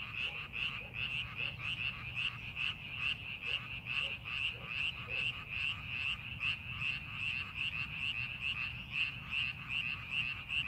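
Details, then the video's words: Frogs chorusing in rice paddies prepared for farming, rapid pulsed croaks repeating densely from many overlapping callers, loud and steady throughout, with a light low hum beneath. "농사준비하는 논에서 개구리 울음소리"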